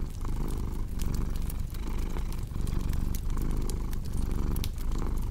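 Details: Cat purring in a heavy low drone that rises and falls with each breath, accompanied by scattered snaps and crackling of burning wood.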